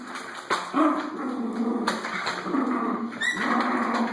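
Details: Schnauzer playing with a vacuum cleaner, giving short yelping barks and whiny vocal sounds over the steady high whine of the running vacuum motor indoors.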